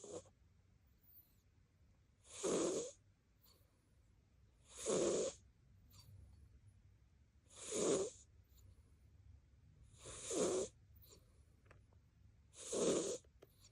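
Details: Sleeping cat Koban gives a strikingly loud snore, five harsh breathy rasps repeating steadily about every two and a half seconds, each swelling then cutting off, with near silence between.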